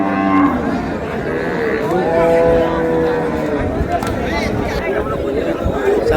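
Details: Cattle among the cows and calves at Ambari haat, a livestock market, on 17/8/26. Drawn-out, low lowing tones rise from a steady din of human chatter and market bustle, with voices talking throughout.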